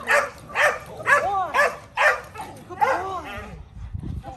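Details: Male Rottweiler Kolohe starting protection training, first day of bite work: quick, harsh barks come roughly every half second, then trail off into quiet.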